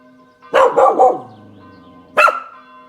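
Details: Spanish Water Dog named Kasper reacting to church bells from his balcony one Saturday evening at 18:00; a quick burst of three barks, a pause, then one more loud bark, with bells ringing steadily beneath.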